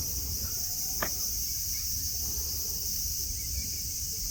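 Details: Cicadas singing under a blue sky at Nara Park, Japan, among green mountains, grass and friendly deer: a steady, high-pitched shrill drone that holds unbroken throughout, with one sharp click near the start and a low background rumble.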